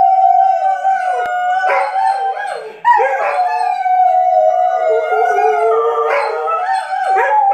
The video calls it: Weimaraners howling like Wolves